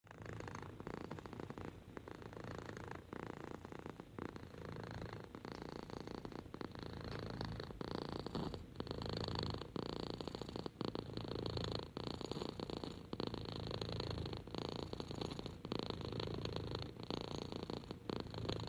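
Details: Henry, an orange six-month-old rescued kitten and lap cat, purring steadily while being petted indoors; a continuous rumbling purr rising and falling in cycles of roughly one to two seconds, with brief soft breaks between breaths.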